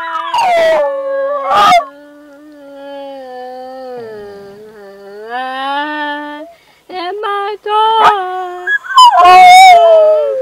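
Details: A male rat terrier singing while his owner practises: drawn-out, wavering howls that glide up and down, broken by a few sharp yips, with music playing in the background.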